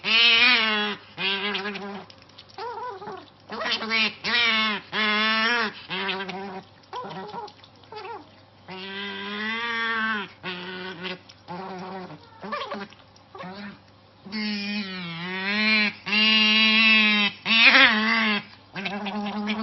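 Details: An otter worked up over treats gives a near-constant run of shrill screams and warbling squeals, calls of a second or so each, wavering in pitch and following one another quickly with only short gaps.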